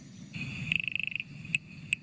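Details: A small frog, about half the size of a tongue, gives a fast run of about a dozen bright, high ticks, then two separate drip-like clicks like a water droplet falling into a bucket, over a low hum; the tick's meaning is unknown.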